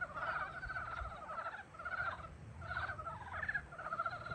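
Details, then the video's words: Spring frog chorus: bursts of fast, rattling pulsed croaks from several frogs, coming in waves roughly every second with brief lulls between. "봄을 깨우는 개구리 울음소리"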